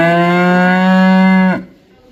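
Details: Cow mooing: one loud, steady, low droning moo held for about one and a half seconds with rich harmonics, ending abruptly and followed by quiet.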